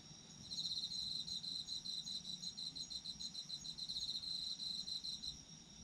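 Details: Sleep-time recording of autumn insects, one insistent high trill of fast regular pulses carrying almost the whole stretch, backed by steady layered chirping from other insects.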